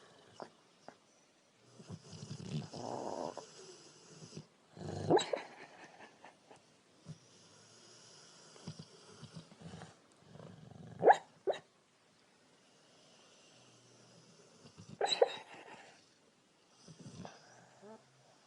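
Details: Female Rottweiler dreaming while asleep, giving soft, irregular snoring breaths and low snorts with a few brief sharp squeaky whimpers, separated by quiet gaps.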